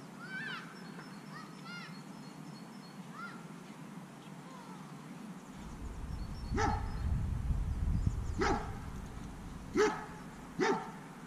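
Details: Fearful, reactive dog barking at an unfamiliar dog passing by during counter-conditioning training. Soft high whimpering whines come first, then four sharp, harsh barks at irregular intervals over low rumbling background noise.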